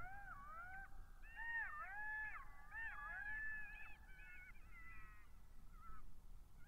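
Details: Several golden jackals howl together in high, wavering, sliding, overlapping wails, recorded by a migration camera at Matsalu on 23 October 2022 at 17:49.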